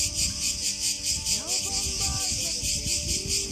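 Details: Cicadas calling loudly among fragrant pines in a park at Ermioni, Greece, on a breezy day: a continuous shrill buzzing chorus pulsing roughly twice a second, with soft low rustling and faint voices beneath.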